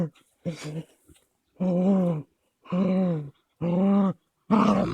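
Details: Two Caucasian Shepherds, three-month-old female Amy and 21-month-old male Balu, roughhousing together on 13.02.16: drawn-out, deep, tonal groaning growls, each about half a second to a second long, repeated with brief pauses between.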